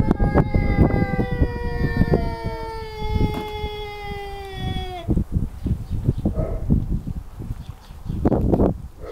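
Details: Tomcats in a fight: a long, strained, harmonic yowl held for about five seconds, sliding slowly downward before breaking off abruptly, followed by scuffling thumps and rustling.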